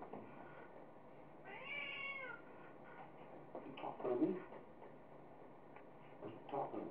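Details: Munchkin the cat, play-fighting in a dustup with its owner, gives a single drawn-out harmonic meow that rises and then falls. Low background noise and murmured human voices come before and after it.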